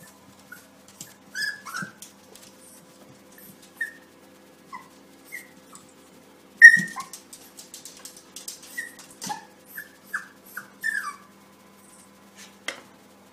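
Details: A Yorkshire Terrier puppy, seeing its reflection in a mirror and taking it for another puppy, gives thin, high yips and whines, each sliding downward, at uneven intervals.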